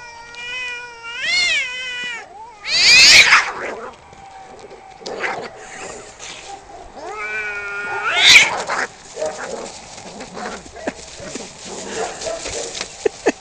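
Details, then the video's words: Fighting cats yowl in long harmonic wails that rise and fall in pitch, broken by harsh hissing spits around the third and eighth seconds, with fainter scuffling noises afterward. "Cat fights"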